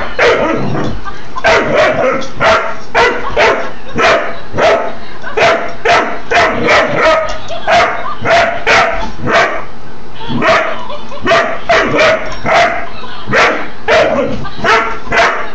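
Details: Doberman Pinscher puppy facing a laughing dog toy, giving short, sharp barks repeated roughly twice a second in a steady, insistent run with hardly a pause, close and loud.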